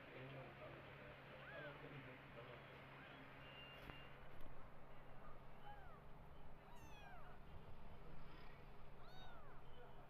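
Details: Orphaned kittens and the adoptive mother cat that lost her own litter, while she feeds them milk; repeated high, curved mews, some doubled, come through a constant low hum and scattered rustling.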